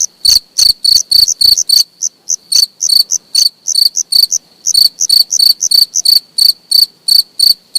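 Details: Close-up cricket chirps, sharp high pulses about three per second, in bursts broken by short gaps around two and four seconds; quiet background otherwise.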